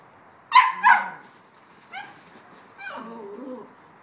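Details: Bouvier des Flandres puppies, 7.5 weeks old, playing and complaining they haven't had breakfast yet: two sharp, high yelps close together, a short yip, then a wavering, drawn-out whine that dips lower at the end.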